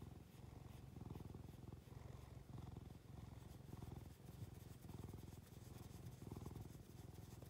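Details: Cat purring loudly under vigorous stroking, its low rattling drone rising and falling in regular breaths about every three-quarters of a second, with brushing sounds of the hand over its fur.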